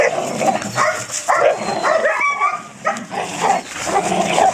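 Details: Belgian Malinois puppy at its first bite work in police protection training, giving rapid high yelps and whimpering barks, some harmonic whines rising and falling, amid steady background noise.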